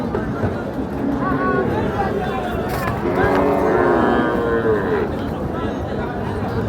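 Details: Bulls for sale at Ambari cattle market, Parbatipur, Dinajpur, a market held on Fridays and Mondays. A long, wavering moo rises and falls midway through steady crowd chatter, with traders talking and bargaining throughout.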